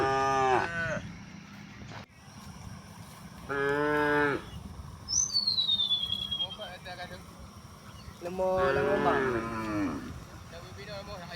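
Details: Gentle village cows and oxen moving toward fertile grazing grounds in morning sun: repeated lowing moos, some wavering and rough, a high falling bird whistle midway, quieter sounds of the herd between calls.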